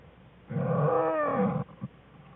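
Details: American black bear cubs Fern and Herbie playing in the den with their mother Jewel, February 21, 2013: one loud, harmonic, slightly wavering cry lasting about a second, ending in a short soft grunt.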